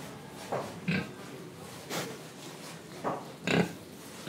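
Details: Pig recorded in Indonesia giving short grunting oinks, about six separate bursts spaced roughly half a second to a second apart, some low and nasal, one louder grunt near the end, with quiet breathing between.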